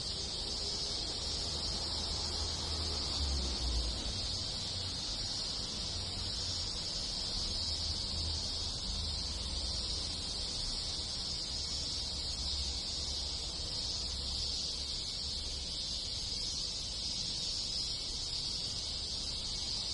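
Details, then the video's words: Cicadas in a Japanese countryside village in summer fill the air with a steady, sharp, high buzzing chorus, accompanied by an intermittent low droning hum in the background. "Cicada Sound - Sounds of Cicada in the Countryside in Summer"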